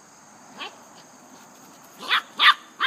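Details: Dogs playing, an English Setter with a young, energetic Dogo Argentino: short rising yelps, one isolated near the start, then three sharp ones in quick succession toward the end, over a faint steady high hiss.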